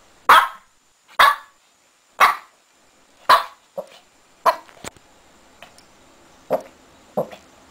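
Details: Shih Tzu puppy digging in bed, giving a series of short sharp barks about once a second, the first four strong and evenly spaced, then softer uneven yips and snorts toward the end over a quiet room.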